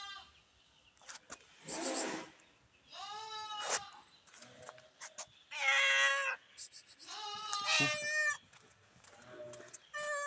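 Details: Pet cats crowding at feeding, giving repeated strained, bleating meows about every two seconds, several voices overlapping, some calls rising in pitch, with light clicks and rustles in between.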